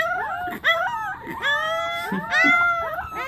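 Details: Pembroke Welsh Corgi puppies singing as a group: overlapping high, wavering howls that bend upward and slide down, several voices layered at once with barely a pause.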